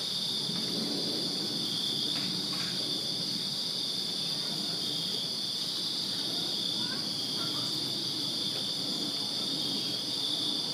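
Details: Many crickets chirp through a summer night in a Virginia backyard, their high, pulsing trill steady and continuous, with a few faint brief clicks and a soft low murmur in the background.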